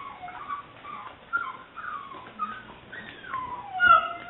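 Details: Female English Springer Spaniel puppy, seven weeks old, liver/white tricolor, recorded May 2009: a run of high, wavering whines and squeaky whimpers, several short and one longer, ending in a louder bent squeal.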